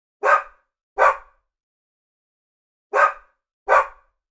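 A Labradoodle gives two pairs of short, sharp barks with a pause between them.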